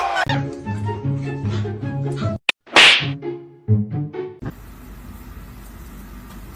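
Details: Upbeat music with sharp slapping and whip-like smacks, a brief burst of hiss, then a steady low hum with no animal voice.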